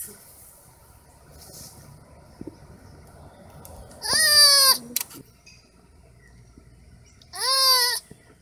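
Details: Baby sloths: two loud, bleat-like cries about three seconds apart, each under a second long, nasal and richly harmonic, starting slightly higher and sliding down in pitch, over a quiet background.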